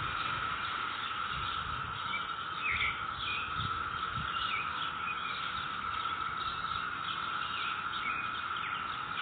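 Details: Neighborhood cicadas recorded May 22, 2021, holding a constant, even buzzing hum for the whole stretch while birds add occasional brief chirps and tweets in the background.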